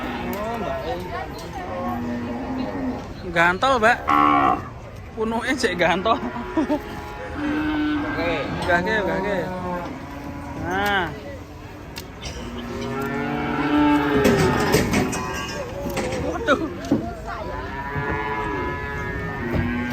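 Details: Raging cattle in Indonesia: a series of repeated bellowing moos, some rising and falling in pitch, with loud bursts and clatter around four and fifteen seconds and people talking in the background.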